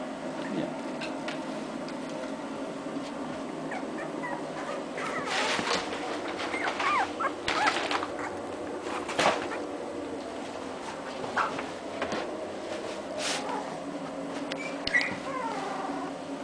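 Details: Two-week-old English Cocker Spaniel puppies with their father; thin high whimpers and squeaks scattered over a steady loud background hum, with a few short louder yelps and occasional rustling.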